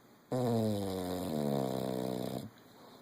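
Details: English Bulldog asleep during a nap, snoring indoors: one drawn-out, steady, buzzy low snore lasting about two seconds with a slight pitch step midway, then quiet breathing.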